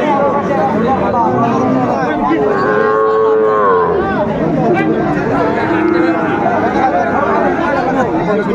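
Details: Sahiwal bull calves at a crowded cattle market, 20 February 2025, being bought by a farmer from Dhaka, Bangladesh; one drawn-out, rising and falling moo near the middle, buried in constant bargaining chatter and crowd noise.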